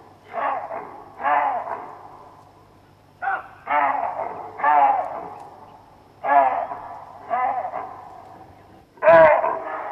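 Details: Baboons in the African bushveld give harsh, hoarse barking calls in short bursts. Each burst fades quickly. There are about seven bursts over ten seconds with short gaps between them, and the last one is the loudest and sharpest.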